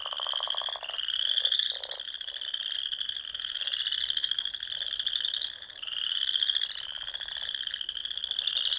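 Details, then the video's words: Frogs calling at dusk in spring across the Nebraska Sandhills ponds: a steady shrill trill chorus of overlapping voices, rising slightly in waves, with short lower clicking croaks near the start. "RELAXING SOUNDS OF FROGS"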